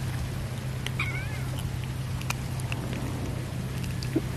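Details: Cat being fed fish gives one short, high, bending meow early on, then quiet apart from light clicks and a steady low hum.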